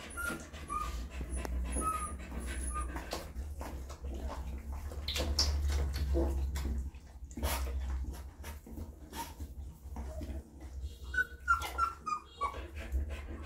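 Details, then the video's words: Puppies with their mother dog as she licks and feeds them: a few brief squeaky whimpers at the start and again near the end, separated by rustling, wet licking and suckling sounds over a low rumble. "Mother Dog Cleaning And Feeds Puppies – ASMR Dog Licking"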